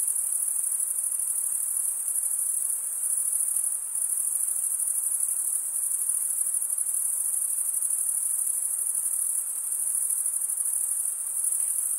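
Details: Male crickets rasp their toothed wing veins together in a constant, piercing high-pitched drone with slight pulsing texture. Volume dips only faintly now and then, and no other sound intrudes.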